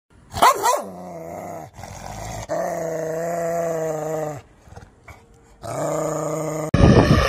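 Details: Angry dog growling in long, low, steady rumbles lasting about two seconds each, opened and closed by sharp, loud bark bursts, with short quiet gaps between the growls.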